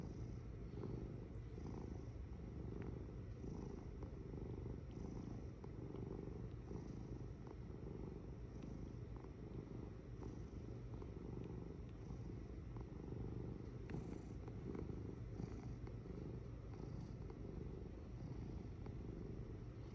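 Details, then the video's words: Cat purr close by: a thick low rumble swelling and easing rhythmically, unbroken throughout, with occasional faint ticks. "Purring Cat"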